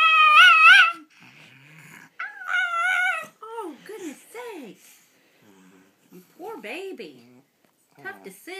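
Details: Elderly female Pekingese, almost 14, fretting over where to eat a treat: a series of wobbling, howl-like whines and grumbles, some sliding up and down in pitch, in bursts of about a second with quiet pauses between.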